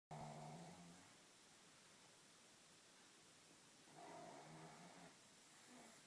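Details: Two-year-old pet pug asleep indoors after a busy day, snoring: a harsh, buzzy snore at the start and another around four seconds, with quieter breathing in between and a faint trailing snore near the end.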